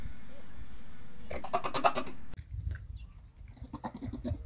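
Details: Farm goats calling in the early morning for feeding: one loud wavering bleat with a pulsed, quavering tone, followed by fainter bleats, over low rumbling background noise.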